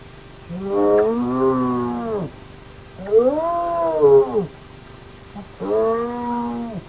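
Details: Hyena of the Naledi clan at its active den: three drawn-out, arched moaning calls, each about a second and a half long, rising then falling in pitch, spaced roughly two seconds apart, with a faint steady hum and soft high ticking.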